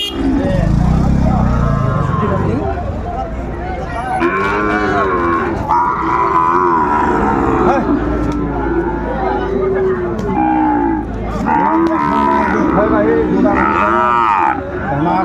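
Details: Seven-month-old Sahiwal calf at a cattle market in Manikganj, Bangladesh, on 30 December 2024, giving drawn-out, low, harmonic moos over constant crowd noise and bargaining voices.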